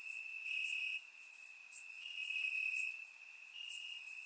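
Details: Warm summer night in Bulgarian grassland, crickets chirping: one shrill, even trill runs through the whole stretch, dotted by brief higher chirps from neighbouring crickets.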